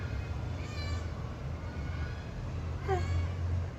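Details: A responsive pet cat meowing in conversation with its owner: a faint drawn-out meow early on, then a clearer short, bending meow near the end, over a steady low hum with Telugu speech nearby.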